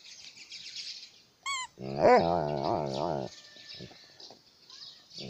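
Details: An Alaskan malamute playing with a toy gives a brief high squeak, then a drawn-out, wavering woo-woo that rises and falls in pitch for about a second, over a soft steady hiss.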